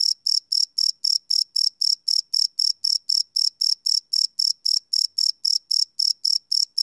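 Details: Night-time cricket chirping captured live with a field recorder, no loops: a rapid, even train of shrill pulsed chirps, close to four per second, clean and uninterrupted against a silent background.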